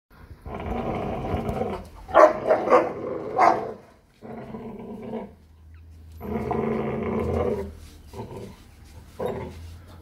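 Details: Presa Canario dog during a morning exercise session, growling in rough, harmonic bursts of about one to two seconds with short gaps, some louder and harsher around two to three seconds, a low hum underneath.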